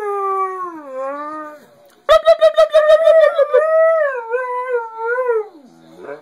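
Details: Part husky dog talking to its owner with howls: a smooth howl dipping in pitch, then rapid stuttering pulsed notes leading into a bending, wavering howl that drops into a lower whine at the end.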